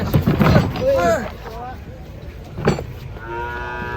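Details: Belgian Blue cattle stirred up during loading onto a truck: people talking and a clatter at first, then a sustained, evenly pitched harmonic moo near the end.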